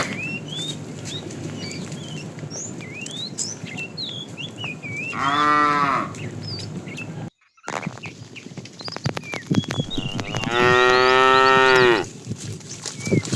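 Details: Tame herd moving in the afternoon, a fat bull calling the female: a shorter moo, then a louder, longer one after a brief gap, with rustling and chirping birds throughout.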